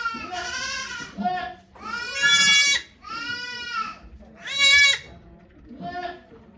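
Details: Farm goats bleat as the nanny goat Okayu gives birth to twin kids at Yoshigake farm, Japan, on 3 May 2023, watched by volunteers. Five loud, quavering bleats come in a row, some shrill and strained, with soft voices underneath.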